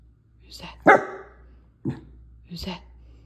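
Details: Male miniature dachshund on guard at home, barking at intruders to defend his territory: three sharp, loud barks about a second apart, the first the strongest, while a person speaks softly over them.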